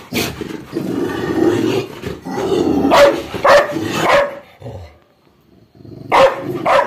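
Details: Aggressive guarding Labrador Retriever gets angry, giving a harsh roaring growl that breaks into several loud sharp barks, then a brief pause before two more barks.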